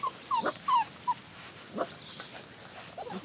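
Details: Great Pyrenees puppies, 37 days old, give several short, high whimpers that fall in pitch within the first second, then fainter whines, while a person calls to them and room noise continues.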